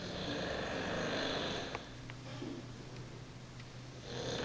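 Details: An English Bulldog snoring at work gives rough, breathy rasps that swell and fade with each breath.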